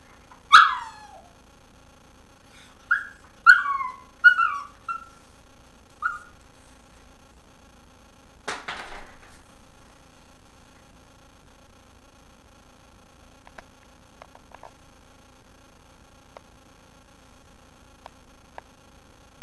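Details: A dog whining and yipping because it wants the bone another dog is chewing, indoors with only the television light on. Several short, high, falling whines come in a quick cluster, then one sharp knock, then near silence with faint clicks.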